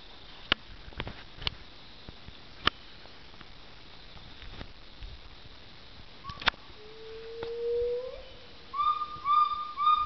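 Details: Gibbon calling at the Gibbon Experience in Laos, with a long rising whoop, then a run of quick, clear whistled hoots.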